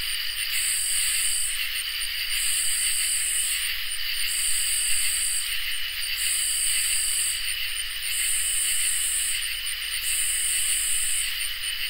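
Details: Summer night chorus of crickets and katydids, with continuous high-pitched trilling beneath regular harsh, rasping bursts lasting over a second each and recurring about every two seconds.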